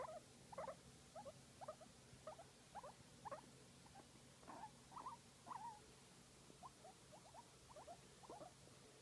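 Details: Guinea pig during a massage, voicing softer, quieter squeaky chirps in short irregular bursts, some closely paired, over a faint steady background hum.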